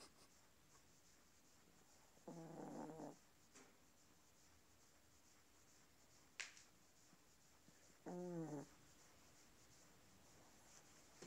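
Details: Chihuahua snoring: two short, rasping, nasal snores about six seconds apart, each lasting under a second, against a quiet background with a few faint clicks.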